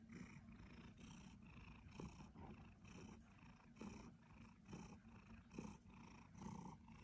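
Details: A pet Siberian Forest cat, a two-year-old male, purrs gently; low, throaty vibration rising and falling in a regular rhythm of about one cycle per second, with nothing else audible.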